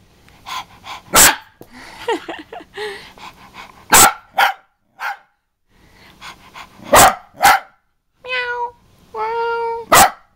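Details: Pet dog barking angrily while its owner mimics it: sharp single barks spaced about three seconds apart, mixed with Italian speech and two drawn-out tonal, howl-like sounds near the end.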